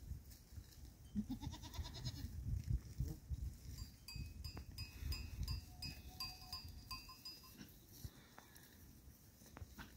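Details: Goats recorded on 19 October 2024; one short, nasal, wavering bleat rises out of the noise early on. Steady low rumble and faint high ringing ticks continue throughout.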